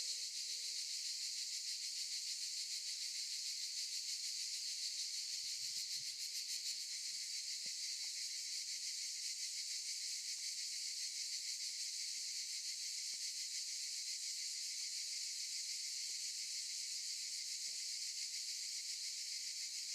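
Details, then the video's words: Chorus of cicadas in olive trees, an unbroken shrill hiss-like buzz with quick regular pulsing from start to finish, and a brief faint low thump near the middle. "Sound of cicadas"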